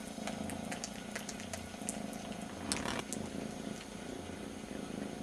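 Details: Very young kitten, one of two brothers, licking its brother's ear while missing its mother; a steady low rumbling purr runs throughout, broken by sharp wet licking clicks and faint background hum.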